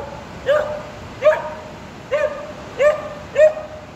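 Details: Two-year-old female Border Collie sheepdog in training, out on a walk in Durham during the Lumiere light festival, barking at a 25ft light-up sheep sculpture while trying to herd it; five short, clear barks roughly every 0.7 seconds.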